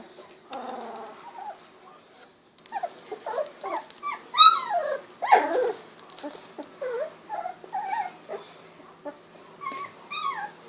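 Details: Sixteen-day-old Golden Retriever puppies squirming about: a busy run of high whimpers and yips, some rising and falling, about one a second, with soft rustling throughout.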